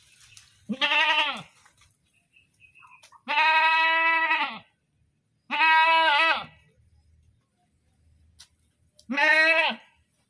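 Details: Goat letting out four loud, screaming bleats of varying length, the longer ones trailing off downward, spaced irregularly over ten seconds with faint low noise between.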